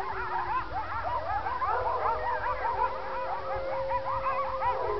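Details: At night, coyotes that often come down near a neighbourhood howl and yip in a wavering, overlapping chorus of high, sliding voices; the owner guesses it may be feeding time.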